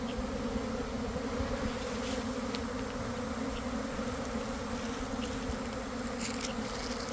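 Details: Honey bee swarm forming near a garden hive around one in the afternoon, after a week of cold, damp weather, recorded from inside the swarm: a dense, steady, low hum with a constant drone and a few faint ticks near the end.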